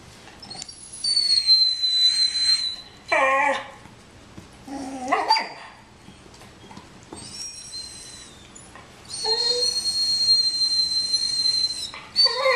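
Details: Nico the dog, jealous of Bandit's bone, whines in thin, very high tones that waver and hold for seconds. Lower, sliding whimpers break in around the third, fifth and ninth seconds. Short quiet gaps fall between the bursts.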